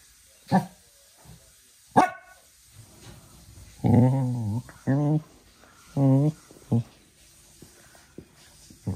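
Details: Small Cocker Spaniel playing in the evening indoors: two sharp knocks or yips early on, then short, deep growls with a wavering pitch, bursts under a second long, in a quiet room.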